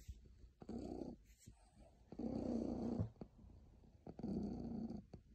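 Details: A very happy cat gives a deep rolling purr, three long rumbling stretches with short pauses between, recorded close up indoors.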